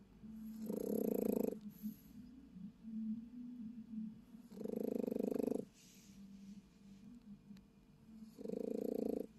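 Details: Sleeping Japanese Chin snoring in a car on an overnight trip, three harsh buzzing snores spaced about four seconds apart, softer wheezy breaths in the gaps.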